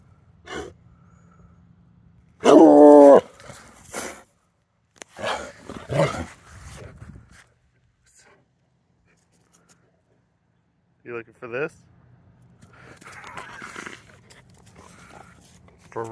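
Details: Treeing Walker Coonhound at play with a stick: a single short, loud, harmonic vocal burst early on. It is followed by a man talking, scattered handling noises and rustling outdoors.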